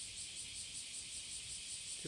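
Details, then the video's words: Courtship song of a cicada on the morning of 30 July 2017 in summer: a continuous shrill, high buzz with gentle pulsing throughout. A soft thump comes at the very end, over a faint low background rumble. "蝉の求愛Cicada singing to fall in love"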